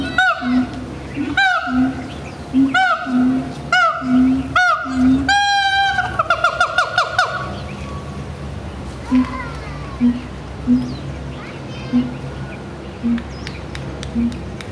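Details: Siamang giving a run of evenly spaced honking barks with low booms, building to a rapid burst of stacked, sliding calls, then quieter booming notes continuing at intervals.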